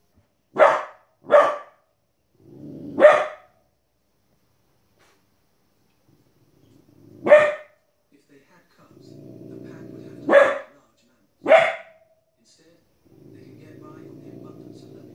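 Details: A 15-week-old female Border Collie puppy gives sharp, high barks in irregular bursts at wolves and other animals on a television playing faintly behind.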